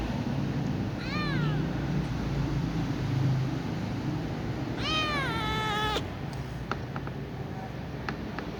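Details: Little ginger cat meowing while yawning at night, with a young white cat nearby; two harmonic meows, a short falling one then a longer drawn-out one, over steady low background hum and a few faint clicks.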